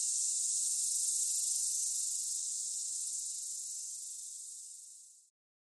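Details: Chorus of cicadas singing, a high, steady sizzling drone that slowly weakens and then cuts off abruptly near the end, followed by silence.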